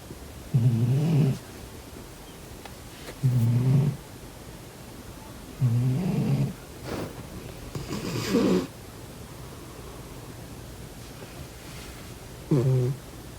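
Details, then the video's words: Sleeping pet cat snoring, one whose nostrils are briefly blocked: low rumbling snores about every two to three seconds, each lasting under a second, with a fainter, breathier one near eight seconds and quiet room between. "코 골면서 자는 고양이 콧구멍 막아보기😺 코고는 고양이 Snoring cat"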